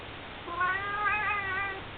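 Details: Male house cat watching birds through a window makes a drawn-out, tonal meow-like cry lasting over a second, rich in harmonics and gently wobbling in pitch before fading; quiet indoor background.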